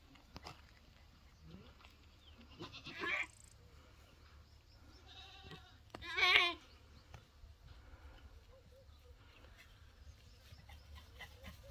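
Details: Boer goat doe on a goat farm, repeatedly refusing a Boer goat buck after days of chasing; a quiet scene broken by a short call and then a louder harsh, quavering bleat, with low background rumble.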